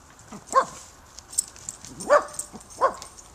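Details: A puppy meeting a new neighbour gives three sharp, short barks, unevenly spaced over about three seconds, with a faint background hiss.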